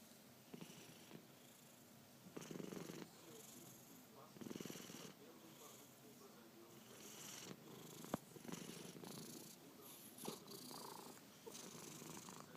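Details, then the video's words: Vasiliy the cat snoring while asleep: rough, breathy, purr-like rumbles swelling in low bursts about every two seconds, with faint clicks and quiet room noise between breaths. "Snoring Cat Vasiliy"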